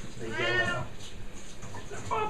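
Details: Siamese cat indoors with a moderately loud, arched meow lasting about half a second amid room noise and a person's voice, then a short second call at the end.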